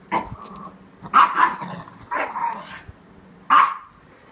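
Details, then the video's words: Playful barking from a Chihuahua mix trying to engage a toy Aussie; four short, bright barks at uneven intervals, some with a slight double-pulse, over low household background noise. "Chihuahua mix trying to play"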